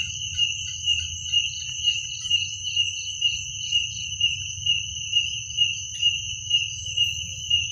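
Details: Crickets at night produce a sharp, high-pitched ringing trill that swells in regular beats about twice per second, with a quiet low rumble underneath.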